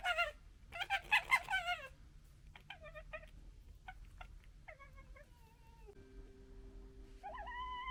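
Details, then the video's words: A local wild fox family gekkering and arguing: a quiet burst of rapid, stuttering harmonic chatter in the first two seconds, then scattered short yelps, a descending whine and a final rising tonal call over a low steady hum. "Foxes Making Funny Noises"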